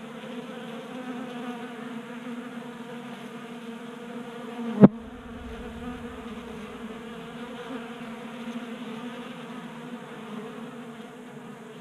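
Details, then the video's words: Honey bees feeding at a 3D printed tabletop feeder in a garage in Colorado during a warm January spell, active and burning winter fat stores: steady layered droning hum, broken by one sharp click midway. "45 Minutes of Honey Bees Feasting from 3D Printed Bee Feeder"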